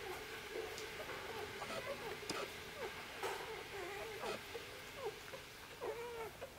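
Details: Newborn Korthals Griffon litter of Djip on its sixth day, pups waking and crawling under their mother for a feed: short nasal squeaks and bent whimpers repeat over a constant low hum.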